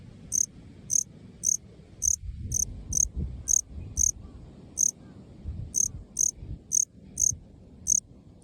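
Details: Okinawan male Melanogryllus bilineatus cricket singing beneath short turf in a park clearing. It gives crisp, high-pitched chirps in a quick series, roughly two per second with slight unevenness, and faint low rumble below.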